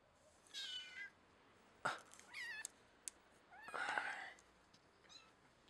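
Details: A scruffed kitten, pinched at the back of the neck as a mother cat carries her young, gives several short wavering meows and squeaks across the clip, the longest near the four-second mark, indoors.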